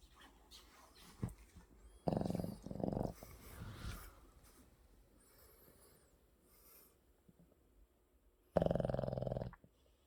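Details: Snoring Maltese named Maru, weighing 7 kg, asleep indoors in a shared bedroom with a Boston terrier; two bursts of loud rasping, rattling snores, the first around two seconds in, the second near the end, with soft breathing between.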